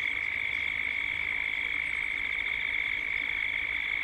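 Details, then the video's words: Dusk cicada chorus from Gippsland, Australia, in a 3D ambience recording: one unbroken, shrill, rapidly throbbing drone at a steady level. "Cicadas at dusk, Australia, Gippsland."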